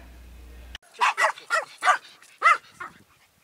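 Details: Rescued Pomeranians Bammy Woo and Bella Boo, an adopted bonded pair, out on their daily walk meant to decrease aggression; a run of about six sharp, high yappy barks in quick succession, then a softer final yip.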